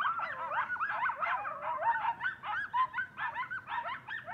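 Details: A group of coyotes in a frenzied nighttime chorus outside a home: overlapping high, quavering yips, short barks and bending wails pour out continuously with choppy pulses in loudness.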